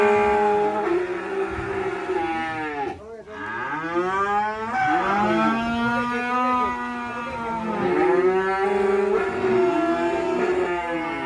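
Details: Black sacrificial cattle coming down from a truck; repeated overlapping moos from more than one animal, some rising and falling in pitch, with a brief break near the middle and a steady low rumble beneath.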